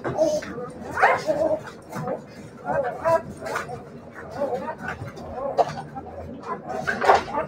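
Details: Siberian Husky puppies giving short, high, whining yips and whimpers in scattered bursts, several rising and falling cries, with people talking throughout.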